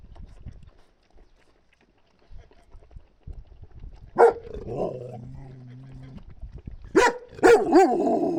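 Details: Husky puppies, a month and a half old, vaccinated and up for adoption; sharp, high yelping barks burst out near the fourth second and twice more toward the end, with a low, drawn-out whine-like tone between them.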